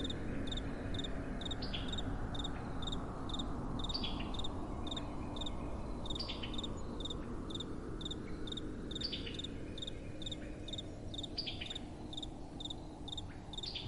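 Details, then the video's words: Crickets chirping at night in soft wind, rapid three-pulse chirps repeated roughly every second and a half, several callers overlapping, with a continuous low wind hiss beneath. "Crickets & Soft Wind"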